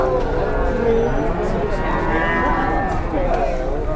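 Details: Moos from agitated cattle coming down off a truck. The low, drawn-out lowing is partly buried under excited human voices and a constant rumbling outdoor background.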